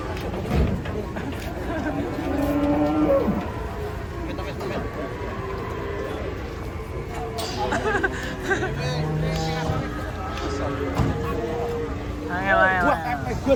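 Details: Brown and white cattle from Madura being unloaded from a truck, one giving a short deep moo partway through, amid steady engine and crowd noise, background music and people talking.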